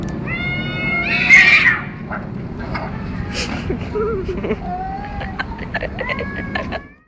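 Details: Two male cats fighting in Pakistan: drawn-out wavering yowls and rising wails, overlapping and shifting in pitch, over a steady low background rumble with scattered clicks and knocks.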